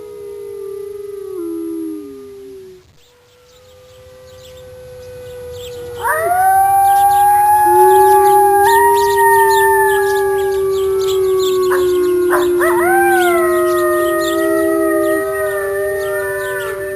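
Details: Gray wolf (Canis lupus), howl.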